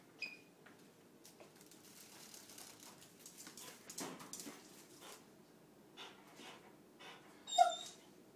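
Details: German Shorthaired Pointer named Adenine, about one year old, chasing a dragonfly around a kitchen indoors: a faint, thin whine near the start and a louder, sharp high whimper near the end, over quiet room noise and soft scuffling.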